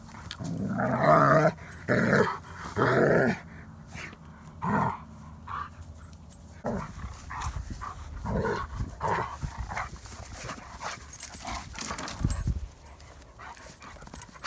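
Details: Odin, a German Shepherd, wrestling playfully with the feisty dog Hannah: a run of loud gruff growl-barks opens, then scattered snarls, yips and scuffling sounds continue more softly.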